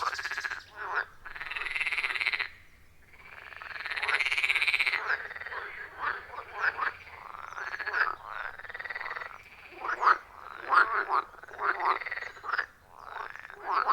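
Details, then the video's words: Frogs at a wild forest pond, iPhone 14 Pro plus Shure MV88+: many rising croaks and pulsed trills overlapping in a loud, rhythmic chorus, swelling and fading with short pauses. "30 Minutes of Frog Sounds at a Forest Pond"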